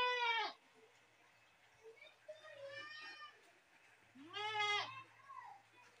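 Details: Goat screams repeated three times, each a harsh, wavering, nasal bleat under a second long, with faint softer calls between them and a low steady hum beneath.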